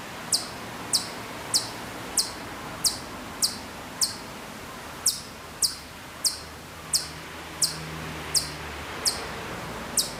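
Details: Hokkaido chipmunk calling from far off at Maruyama, Sapporo, Hokkaido, Japan, in September 2014: sharp, very high, downward-sweeping chips repeated about every half to one second, roughly fifteen in a row, over a low steady hum.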